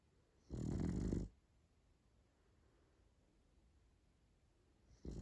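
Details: Sleeping French Bulldog gives a deep, gravelly snore of nearly a second, followed by about four seconds of near silence before the next snore begins.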